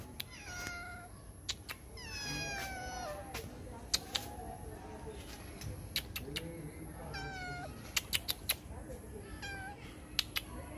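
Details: Cat up in a tree, giving a series of loud, drawn-out meows with falling, strongly harmonic tones, in bursts of one to several calls over about ten seconds, with sharp clicks and steady background hiss.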